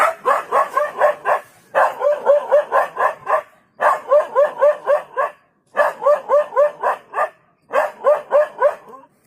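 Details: A dog barks quickly and steadily, roughly four barks a second, in five bouts separated by brief silences, each bark short and slightly rising in tone.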